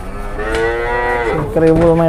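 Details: Cattle brought in by two trucks, among them a jumbo one, give a sustained, even moo that dips slightly in pitch midway and carries on in a deeper tone, with faint outdoor noise behind.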